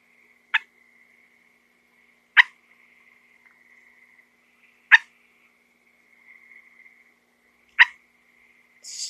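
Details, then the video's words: A small frog that got indoors, found in a house's middle room with pet cats huddled around it, gives four sharp, short clicking chirps spaced two to three seconds apart over a faint, steady high-pitched hum. "Frogs make weird sounds."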